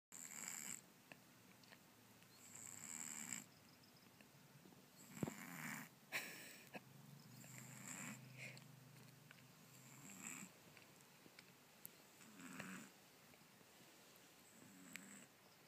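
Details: Kitten snoring because its nose is blocked by a cold: soft, irregular nasal snores and wheezy breaths at uneven intervals, with a few sharper clicks and snuffles.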